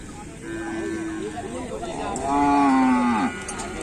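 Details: Cattle at a Kerapan Sapi bull-racing event: a single drawn-out, low moo that holds its pitch and then drops sharply at the end, over background music and crowd noise.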